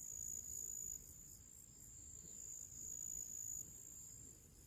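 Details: Summer crickets in nature before evening, a thin, very high sustained trill that pulses quickly and drops slightly in volume partway through, with faint low background noise.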